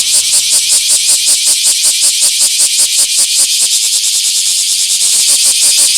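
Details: In a small park on 24 July 2026, a Bear cicada sings a loud, rasping high-pitched song of quick, regular pulses, keeping an even pace for the whole stretch.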